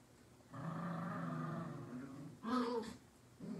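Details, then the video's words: Two dogs named Latte and Mocha fight over a toy squirrel: a steady low growl lasting about two seconds, followed by a sharper, louder snarling burst and another growl starting at the end. "Latte and Mocha’s daily fight for the squirrel!"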